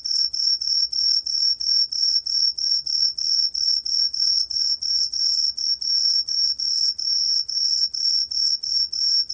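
A green pine cricket sings a high, bright chirp, repeated about three times each second.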